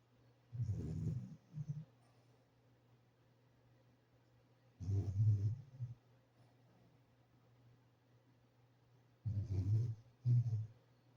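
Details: Soft, low snores from a sleeping French Bulldog come about every four to five seconds, each a rough rumble often followed by a brief second snort, with quiet between them.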